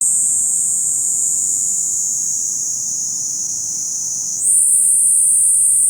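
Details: Kaempfer cicada (niiniizemi) singing: a dense, continuous high-pitched buzzing trill without pauses, which jumps abruptly to a higher, louder pitch near the end and holds there.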